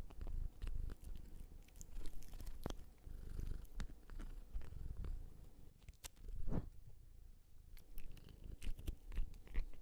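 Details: Female American Curl cat Jjonddeok, born 30 December 2018, captured indoors with an ASMR microphone: soft, low rumbling purr running throughout, mixed with crunchy chewing noises and occasional clicks; a woman's voice speaks just before.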